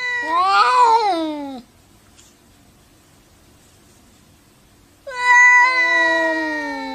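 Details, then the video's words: Arguing cats trading yowls: a wavering, rising-and-falling wail for about a second and a half, a pause of near silence, then a strong sustained meow that slowly drops in pitch. "Funny Cats Arguing | Cats Talking To Each Other"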